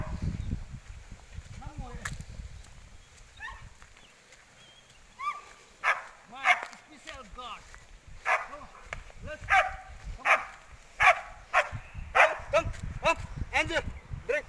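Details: Dogo Argentino named Angel, a dog specialized in hunting and used for protection, out on a hunt: a burst of whining arcs, then loud sharp barks repeated about twice a second through the second half, with human speech throughout.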